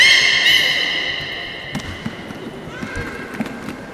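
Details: Port of Nagoya Public Aquarium beluga in a public training session, 18 July 2016: a fading harmonic whistle, then soft rapid clicks and taps, with a faint rising tone near the end.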